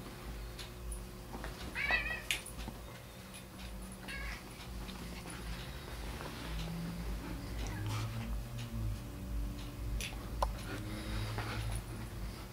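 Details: Male golden tabby cat, a domestic pet indoors with a female golden retriever, giving a short rising wavering meow near the start, then quiet low rumbling and faint rustling indoors.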